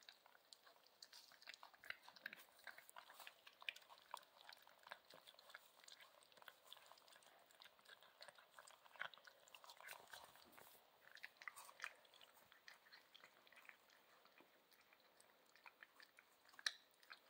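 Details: Central Asian Shepherd Dog puppies at dinner, busy eating: dense wet chewing, lapping and clicking bites in a steady irregular patter throughout, indoors.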